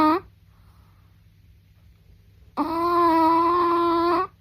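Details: A Chihuahua's snore comes as a high, whining, whistled tone. A brief tail of one breath is followed by a quiet gap, then a sustained, even-pitched squeak lasting about two seconds against near silence.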